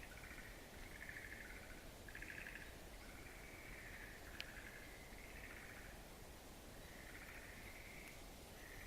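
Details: Frog calls echoing through a mountain wildflower garden, 11 April 2013; overlapping short trilled bursts recur every second or two above a steady hiss of background noise.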